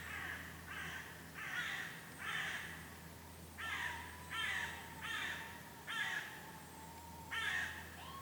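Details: Red squirrel calling just after a goshawk attack at Lake Kallavesi, Kuopio, Finland, 23 August 2015; the squirrel is unhurt. Harsh, raspy bursts repeat roughly once a second, about nine in all, over a steady low hum and a thin whistled tone.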